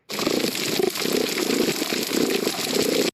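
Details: A sergeant major fish on a coral reef purrs in low, rattling bursts against a hissing, crackling reef background; a faint high-pitched damselfish sound comes at the end.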